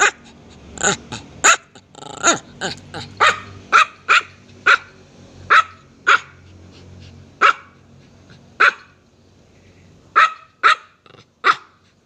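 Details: Loud, piercing barking from a small dog: around twenty short, high yaps, clustered rapidly at first, then spaced out with a brief lull before a final quick burst.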